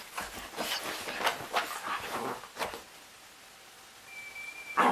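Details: Rolo, a wet puppy, acting up after a bath as he always does; a run of short, sharp, broadband yaps or barks through the first three seconds, then a quieter pause, with a thin steady whistle-like tone near the end.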